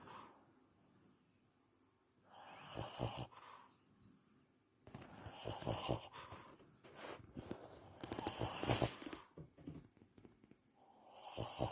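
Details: An 11-year-old male Shih Tzu with breathing issues breathes noisily while awake, making rough, snoring snorts.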